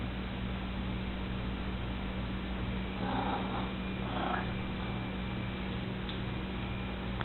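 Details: Domestic cat giving two short, soft meows about a second apart, the second sliding slightly upward, over a steady low electrical hum in a quiet indoor room.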